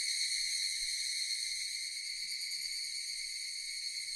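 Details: Loud, unbroken high-pitched whirring of Japanese cicadas, an even ringing drone holding constant throughout, with only faint low background noise.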